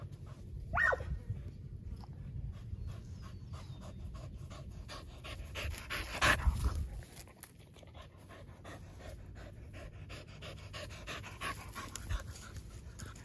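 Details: Several dogs gathered at a fence, panting in quick soft rasping breaths that run through the whole stretch, with a sharp louder burst in the middle and low rumbling background noise.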